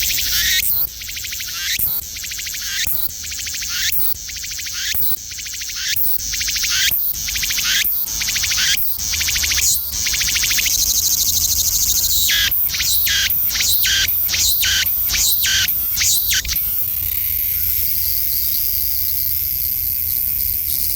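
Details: Cicada calling loud and close in the countryside, a shrill high buzzing broken into rapid pulses about once a second, speeding up into a dense pulsing run, then settling into a steady continuous hiss for the last few seconds.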